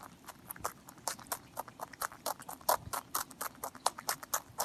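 A rabbit eats with fast, dry crunching, each bite a sharp click in an uneven but steady rhythm. The crunches come several times a second over a quiet background.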